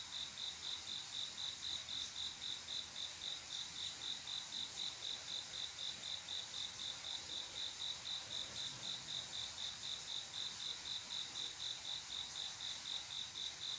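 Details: A male cricket calls for a mate on a still summer night, giving a continuous train of sharp high-pitched chirps at about four per second, very regular, with a steady hiss of other insects behind.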